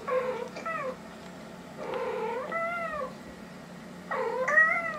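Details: House cat reacting to cat voices played through a speaker, apparently thinking friends are inside; three clear, long meows, each bending up then down in pitch, spaced about two seconds apart in a quiet room.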